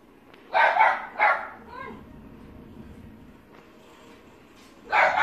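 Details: Maltese dog giving short, sharp barks: a quick pair of barks near the start, a faint whine after them, then a quiet pause before one more bark at the end.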